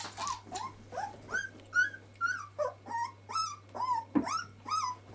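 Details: Twelve-day-old puppies give thin, wavering whimpers, each cry bending up then down, about two or three per second in an uneven series over a constant low electrical hum.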